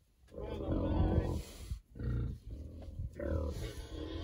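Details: Berkshire pigs being treated for external parasites before winter, rolling around and squealing with joy: three loud, harmonic squealing bursts, the first longest, separated by short pauses.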